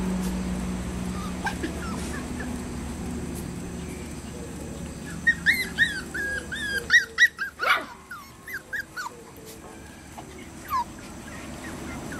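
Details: A small dog, one of a male Pomeranian and a male Toy Poodle, gives a rapid run of high, whining yelps broken by a few sharp barks.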